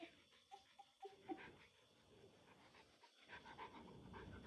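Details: A mother dog named Maya stays close to her puppies and plays with them. A run of thin, high whimpers comes at the start, then soft panting breaths and rustling continue to the end.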